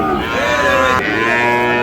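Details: Moos at the Ambari cattle market in Dinajpur, Bangladesh, on Monday 11 May at the market's start, where Sahiwal bull calves are traded. A rich, harmonic lowing sound runs through the whole clip above a busy market background.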